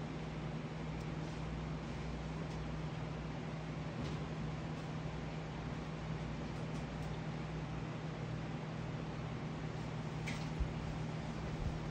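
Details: Steady low mechanical hum with faint hiss and a few soft scattered clicks, unchanged for the whole stretch; no animal calls.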